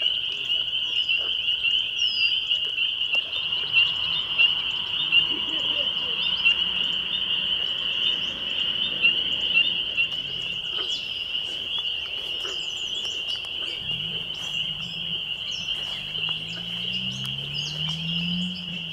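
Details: A dense chorus of spring peepers on a May 2021 evening at Laurel Creek Conservation Area, Waterloo, Ontario, Canada: high piercing peeps merging into one continuous ringing shrill.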